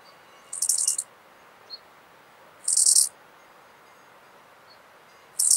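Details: Eisentraut's bow-winged grasshopper in Muhrtal, Austria, on 9 October 2020, picked up with an ultrasound detector: short high-pitched rasping bursts about half a second long, repeated roughly every two seconds over quiet background hiss.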